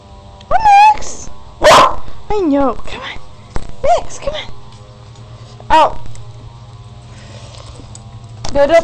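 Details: Puppies Max and Molly at play; short, high yips with falling pitch sound in quick bursts among excited human voices and handling noise.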